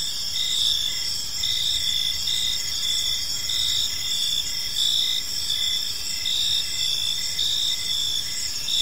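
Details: Evening chorus of crickets in a peaceful park: continuous high trilling from many insects layered with quick repeated chirp pulses, no other clear sounds.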